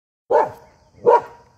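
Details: Pet Norwegian Elkhound playing frisbee with a family member, giving two short, sharp barks about three quarters of a second apart, each rough and mid-pitched, with quiet between them.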